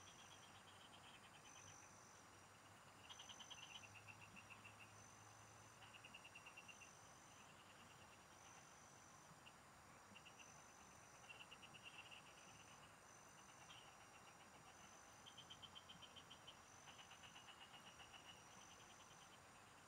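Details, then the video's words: Frogs calling together in fields while someone fishes nearby. Clusters of rapid clicking pulses come and go every one to two seconds, some louder and nearer, against continuous thin high-pitched insect tones and a brief low rumble early on. "Pikinggan mo Ang MGA huni Ng MGA Palaka SA bukid"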